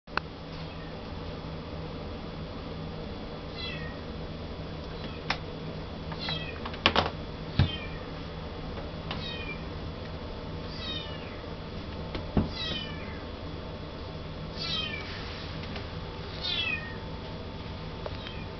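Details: Male Russian Blue kitten born 19 January 2012, kept in a pet shop in Yokosuka, Kanagawa, Japan. Faint, thin, high meows slide downward and come in scattered bursts over a steady indoor hum. Occasional clicks and knocks are heard.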